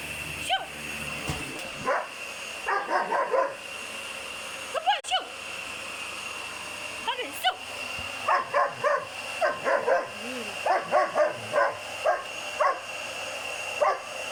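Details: A 7-month-old German Shepherd puppy reacting to a loud vacuum cleaner it hates, with bursts of barks and yips in quick clusters over a constant motor whine, plus some whining tones between barks.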